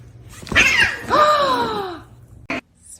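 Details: Domestic cat in a funny cats compilation: two drawn-out meows, the first higher and wavering, the second long and gently falling, followed by a person speaking and a short thump.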